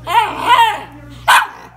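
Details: Two Cairn Terriers asking for cookies: two rising, wavering whines and then one sharp bark, begging for treats.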